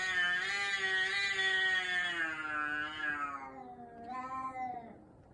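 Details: Fighting backyard cats: a loud, rich, drawn-out yowl slowly falling in pitch over four seconds, then a shorter rising wail that fades away.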